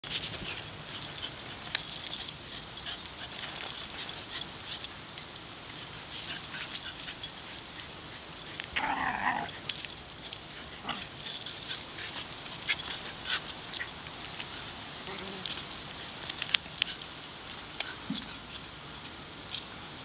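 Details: Wire Fox Terrier in Shinjuku Central Park, recorded with a LUMIX FT1 camera: one brief tonal whining yelp rises out of a steady outdoor hiss about halfway through, with faint scattered clicks and rustles around it.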